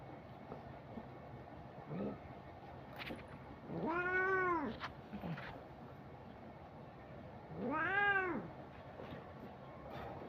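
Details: Cat meowing twice, about four seconds apart. The short arched meows rise and fall, with fainter brief mews and small clicks between them against low background hiss.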